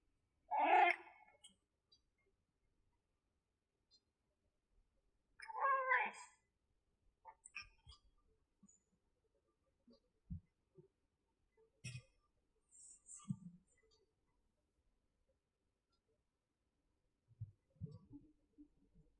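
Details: Himalayan cat kept as a pet, a rarely heard voice; two loud drawn-out meows about five seconds apart, followed by faint knocks and soft rustling in a quiet room.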